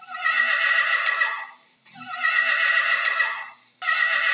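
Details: Horse whinnying again and again, each call a long quavering neigh that trails off, followed after short silences by the next, the last starting abruptly at the end.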